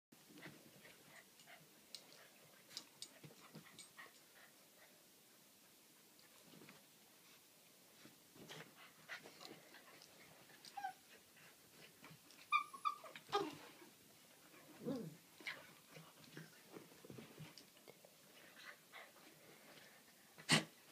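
Chow Chows at play: soft panting, snuffles and a few brief yips and grumbles in a quiet room.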